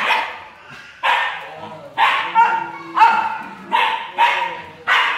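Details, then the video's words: Siberian Husky female, jealous, lets out a steady series of loud, rough yip-barks, roughly one every half second to second, each starting sharply and tailing off. "Jealous Husky Girl"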